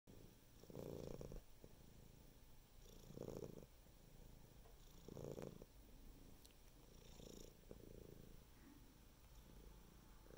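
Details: Domestic cat purring, a low rumbling purr rising and falling in slow cycles roughly every two seconds, each inhale-exhale swell brightening briefly before fading, in a quiet indoor setting.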